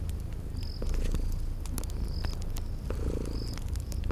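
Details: Sleeping kitties purring beside a crackling fireplace in a cozy spring garden ambience: a steady low rumbling purr under sharp crackle pops, with brief high whistled tones recurring about once a second.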